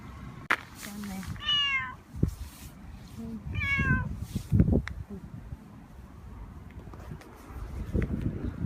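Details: Male cat in heat, rubbing hard while calling, utters two clear meows about two seconds apart, each rising then falling, amid rustling and thumping from the rubbing.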